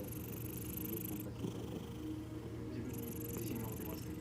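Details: Cat resting contentedly on its owner's lap while asleep, giving an even, unbroken low purring hum, overlaid by two stretches of soft breathy hiss near the beginning and end.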